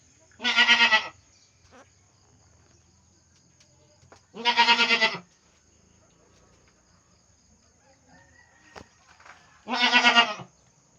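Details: Pregnant domestic goat, about to give birth, kept by its owner: three loud, harmonic bleats, each about half a second long, spaced roughly four to five seconds apart, with quiet pauses between them.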